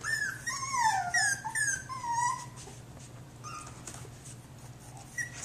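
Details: Jack Russell Terrier puppy named Eden, whimpering with high, sliding whine notes that rise and fall several times in the first two seconds, then fade to softer short squeaks over a low steady hum indoors.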